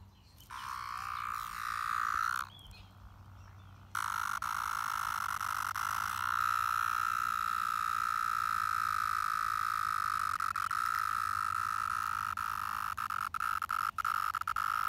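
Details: Brood X 17-year periodical cicadas, emerged after 17 years underground and crawling all over a park in Pennsylvania, in a steady droning buzz at one constant pitch, dropping away briefly before returning loud and unbroken, with faint clicks near the end.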